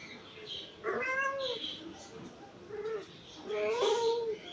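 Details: Aduri, a pet cat who has just failed to catch a fly, gives two drawn-out, slightly arching meows about three seconds apart while a person talks to her softly in Bengali.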